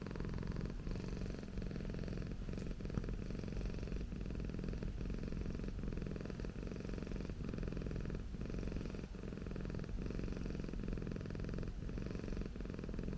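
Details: Continuous deep purring from Okayu, a house Persian cat, recorded close for ASMR. The rough, vibrating drone repeats in even cycles with a brief dip roughly every 0.8 seconds and no other clear sounds.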